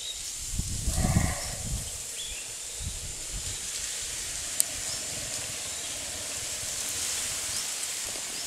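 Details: Kaavan, an Asian elephant, asleep for the first time in the jungle at Cambodia Wildlife Sanctuary, gives a short rough low snort with faint harmonic overtones near the start, then quiet breathing noise, under a steady high insect hiss.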